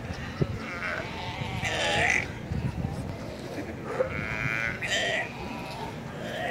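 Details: Galapagos sea lions in the Galapagos Islands, Ecuador: several short, harmonic, bleating calls, partly overlapping, heard among people's voices and general crowd noise.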